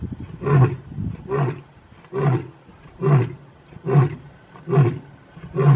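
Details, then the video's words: Big male lions of the Mpondo coalition in South Africa give a series of deep, grunting roars, each burst coming just under a second apart. "Big male lions roaring.Mpondo males.South Africa"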